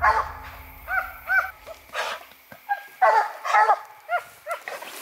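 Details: Coonhound named Hope on a raccoon hunt, its final hunt with its handler, outdoors. Loud ringing barks and drawn bawls, each rising then falling, come about ten times in quick bursts, some doubled, with a low rumble early on.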